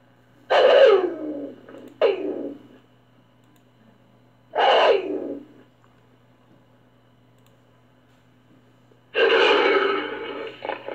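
A caracal gives harsh, raspy bursts, short snarls separated by pauses, ending in a longer rough growl.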